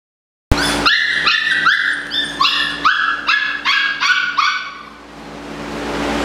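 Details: Eight-week-old Malinois puppies giving a quick run of about ten high, sharp, harmonic-rich yips and barks, each sliding slightly downward, spaced under half a second apart, then fading out, with a steady low hum behind.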